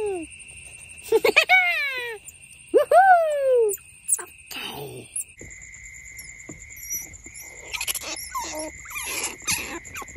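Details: Baby smooth-coated otters kept as pets give a few whining squeals that slide downward over a steady electronic whine; they suckle each other's genitals, mistaking them for their mother's teats.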